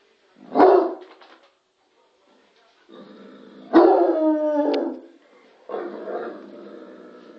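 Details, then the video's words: Bloodhound named Lorenzo barking at the TV indoors: a sharp bark, then a long harmonic howl-like bark sliding down, followed by a lower drawn-out bark, with quiet gaps between. "Lorenzo barking to the TV - Lorenzo ladrando a la televisión"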